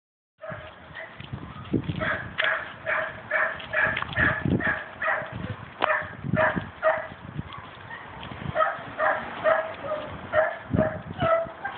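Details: A dog barking relentlessly, sharp barks repeated in rapid bursts of two to four, roughly two per second, continuing without pause over a steady background hum.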